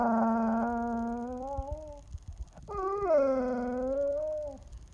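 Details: Attention-seeking young puppy gives two long, drawn-out, wavering groans when the petting stops, the second rising sharply then sagging, like a Chewbacca voice, inside a quiet room.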